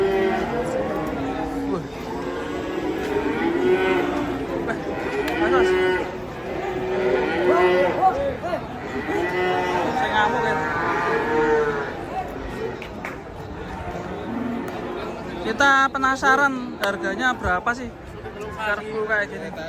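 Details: Cattle being unloaded from a truck, lowing repeatedly: drawn-out, wavering moos overlapping through most of the stretch, several animals calling at once, with clattering and scraping sounds near the end.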